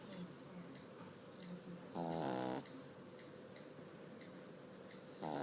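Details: Sleeping pug puppy snores softly in a low, regular rhythm of short breathy pulses roughly every half second. A louder, tonal, buzzing burst interrupts in the middle and another comes at the end.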